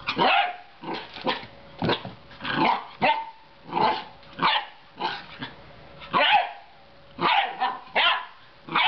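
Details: Belgian Shepherd Groenendael puppy exploring his new home and playing with a dangling cat toy: short, rough, high-pitched puppy barks come in quick bursts, some doubled, roughly nine in nine seconds, with brief quiet gaps between.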